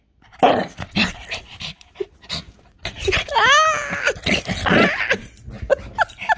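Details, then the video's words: A frenzied Shih Tzu named Milo lets out loud yaps and low growls indoors, then a rising-and-falling whine around the midpoint, followed by more excited yips and barks, with laughter and chatter nearby. "milo shih tzu going mental"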